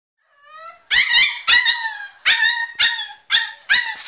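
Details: Staffordshire Bull Terrier puppy named Diablo screaming because he wants out of his crate: a faint rising whine, then five loud, harmonic, high-pitched screams in close succession, each with a wavering, falling tail.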